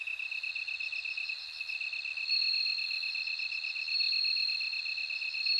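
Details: Clear, high, bell-like ringing from a bell cricket, with brief bright notes over a rapid pulsed insect trill. The chorus goes on without a break, and no other animals or people are heard.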